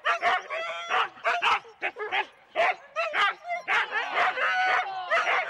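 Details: Husky teams of four dogs each, sled race start at Rendlesham, January 2016, analogue cassette tape: loud, excited staccato barks tumbling over one another, a short lull near two seconds, then rising whines and yelps.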